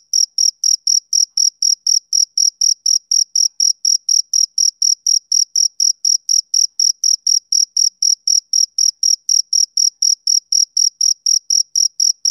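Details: Summer evening male cricket producing a long run of sharp, tinny chirps, about four per second, very uniform in pitch and loudness, against otherwise complete quiet.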